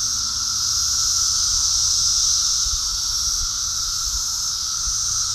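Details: Cicadas massed in huge numbers during an invasion in New Jersey, swarming everywhere. A dense, unbroken shrill buzzing chorus holds steady throughout, with a fainter lower whine beneath and soft low rumbling in the background.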